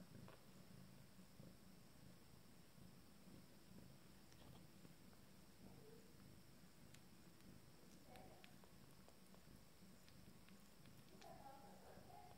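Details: Fourteen-day-old kittens of a first litter feeding with their family; deep pulsing purr runs underneath, joined by scattered rustles, small clicks and a few brief higher squeaks toward the end.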